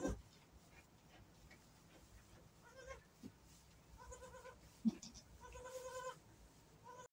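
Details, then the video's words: Just-born baby goat calling with short, quavering, nasal bleats, several in the second half, amid low farm background noise and a few knocks. "Baby goat just born"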